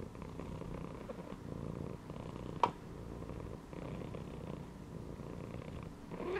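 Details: Resting domestic cat laid inside a gym belt purrs in a low, rhythmic rumble with slight pauses between breaths; one sharp click cuts in midway.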